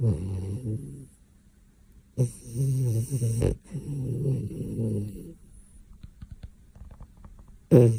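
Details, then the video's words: A dog snores loudly in its sleep. Deep, rattling snores come in long drawn-out pulls, each lasting a second or more, followed by quieter breathing and light ticking noises. "cute dog snoring loud when sleeping"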